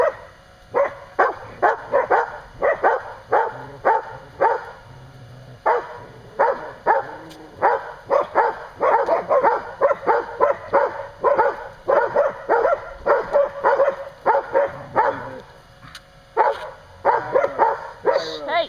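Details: Standard Poodle named Kasha, outside a pen, barking and growling while play-fighting with Kairos as Mitsy plays with her 6 week old pups; dense bursts of short, sharp barks and yips in rapid, uneven runs, nearly continuous with brief pauses.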